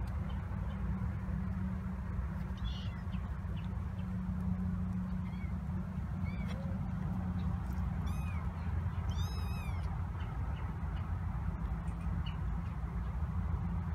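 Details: Kittens 26 days old from Tituba's litter at Carolina Kitten Ranch: seven black-cat kittens, one an orphan she fostered, exploring their kitten coop on November 7, 2017. Several thin, high, rising-falling mews arrive in a cluster midway over a steady low hum.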